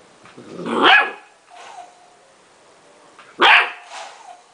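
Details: Young Golden Retriever puppy, Bella Olivia, protesting against having her hair dried with a hair dryer: two loud, harsh, growly barks about two and a half seconds apart, with a softer rasping bark and faint whine between them.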